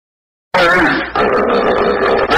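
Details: Hippopotamus calling: a loud, harsh, buzzy sound rich in stacked tones that starts abruptly, dips briefly after about half a second, then carries on strongly to the end.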